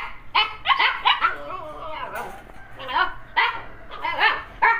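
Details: Siberian Husky pair barking and yelping in short, bending bursts. A human voice can be heard faintly between the calls.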